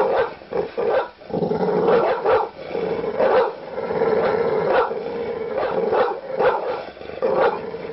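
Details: Harsh barks from an angry dog break out every half second to second over an almost unbroken guttural growl, the snarling loudest through the middle stretch.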